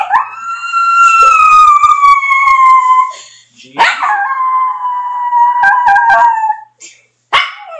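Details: Jerry, a pet dog that howls on command, gives two long tonal howls, the first sliding slowly downward for about three seconds, the second flatter and falling at its end, with a short yelp-like burst closing the clip.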